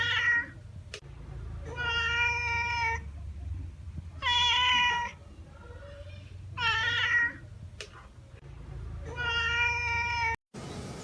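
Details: Cat meowing repeatedly, five drawn-out, nasal, harmonic-rich meows each about a second long, spaced roughly two to three seconds apart, over a low steady background hum.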